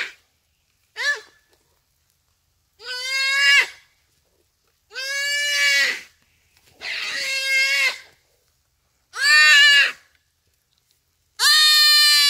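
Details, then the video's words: Distress cries of a common duiker being killed by a cheetah at Phinda Private Game Reserve on a rainy afternoon: six harsh, nasal, bleating wails roughly every two seconds, rising sharply at onset, then held and fading. "Buck Cries for Help from Cheetah"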